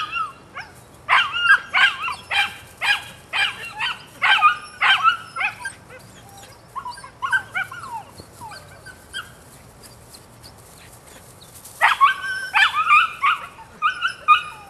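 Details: Rodin/Katana female puppy at nine weeks old barking in a fast string of shrill, ringing yaps, a lull of softer yips midway, then another rapid burst of barks near the end.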